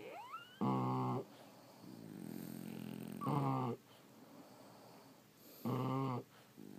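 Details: Sleeping French Bulldogs giving deep buzzing snores at a steady pace, one loud rattling breath roughly every two and a half seconds, with softer breathing noise between snores.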